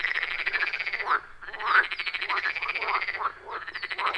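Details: Frogs in full chorus around a wild pond in the forest, recorded via iPhone 14 Pro and Shure MV88+; grating, rhythmic croaks come in bursts separated by two short pauses, with single louder calls standing out.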